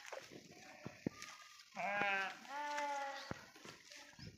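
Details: Sheep grazing grass in a forest give two clear, wavering harmonic bleats of about half a second each, separated by a short pause. Soft clicks and faint rustling fill the gaps before and after.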